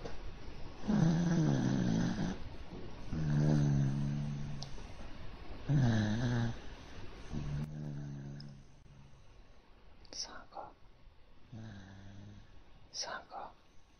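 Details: Pet dog lying on its back asleep on a person's arm, snoring in slow cycles: four long low rumbling breaths roughly every two to three seconds, the last ones softer with brief higher squeaky notes.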